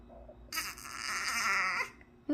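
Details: Young puppy protesting being told to sit, letting out one drawn-out, strained whining cry lasting over a second. The cry is breathy and harsh, with a faint steadier tone running through it, in a quiet room.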